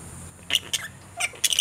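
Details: Young flying foxes in a creche enclosure feeding on bananas placed in a basket as enrichment at mealtime; several short, harsh squeaks and chatters come in quick bursts over a steady high background hiss.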